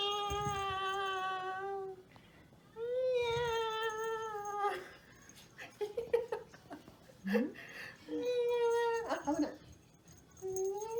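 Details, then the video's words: Toy Poodle puppy reacting to a strange sound played indoors, giving long whining cries with rich harmonics, steady or gently rising, in three drawn-out bouts separated by short yips and a person speaking softly in Japanese. "The puppy heard a strange sound！"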